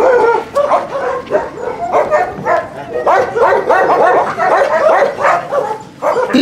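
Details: Husky kennel visited for recall practice: a crowd of dogs barks loudly and continuously, yips and woofs piling over one another in an uneven, rapid stream.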